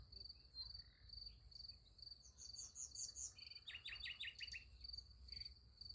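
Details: Crickets at night beside a sunflower field: a steady high-pitched pulsing chirp runs throughout, with bursts of rapid, clicky, buzzing trills in the middle and a soft low rumble underneath.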